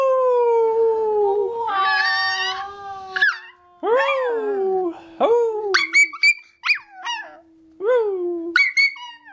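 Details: A Toy Fox Terrier puppy howls along with people singing, in drawn-out, wavering tones broken by sharp, high yips.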